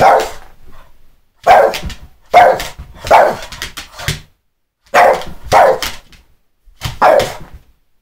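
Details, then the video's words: A Boston Terrier, cued by its owner to bark, gives loud, sharp barks in short bursts, mostly single or doubled, spaced about a second apart. "Crazy Boston terrier man"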